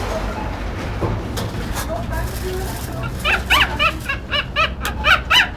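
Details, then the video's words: Dog squealing like a duck: after a stretch of low background rumble and faint talk, a quick run of short, harmonic, quacking squeals starts at about three seconds, roughly four per second, growing louder toward the end. "Hund quietscht wie eine Ente / Dog squeals like a duck"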